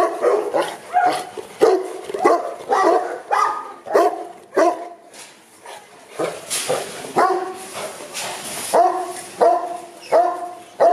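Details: Kennel Boerboels at Aubin Boerboels in Accra bark in a repeated series, strong harsh barks spaced under a second apart, easing briefly midway then resuming with firmer, evenly spaced barks.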